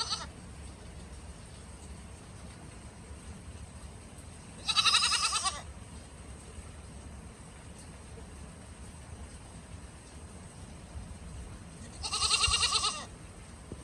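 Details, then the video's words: Loud bleating from a goat out in the snow: two strong, quavering calls about seven seconds apart, each roughly a second long, set against low steady background noise. "Goat at the snow || loud noise goat"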